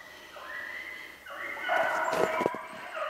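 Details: Beagles hunting snowshoe hare on 3/8/16 in rain over slushy, icy snow; a long, drawn-out howling bay is followed by a louder, wavering, sustained bay, with faint crunching steps beneath.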